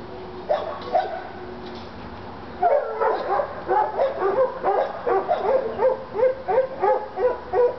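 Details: North Carolina Treeing Walker hounds Lady and Cooper worked up on a coon skin; a few scattered barks, then a sudden burst of rapid, overlapping bawls and chops from both dogs.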